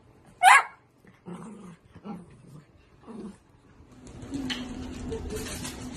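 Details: Miniature Dachshund giving one sharp, high yelp, followed by three low, short growling grumbles and then a woman's voice talking over household noise.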